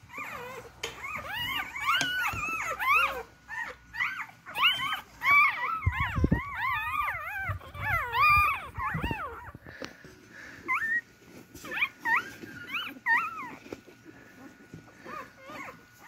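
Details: Newborn beagle puppies search for their mother's milk, with a dense chorus of wavering, high-pitched squeals and whines that overlap for about ten seconds and then thin to scattered single cries amid rustling and shuffling.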